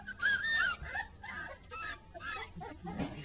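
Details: Two-week-old puppies in a whelping box giving high, thin squeaky whimpers in short bursts, several rising and falling whines close together, then quieter squeaks with soft rustling and low background noise.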